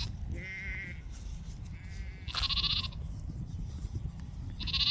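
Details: Little Wiltshire Self shedding lambs from a small New Zealand flock call in the background: a few high wavering bleats, the first two near the start, then a louder harsher one and another at the end, over steady low rumbling noise.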